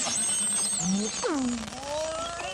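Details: A single beluga whale, a highly social animal, played back as a quiz at the Dubai Future Forum 2024. Squealing whistles sweep high and then slide down, with a long falling glide and wavering tonal lines over a dense pulsed hiss.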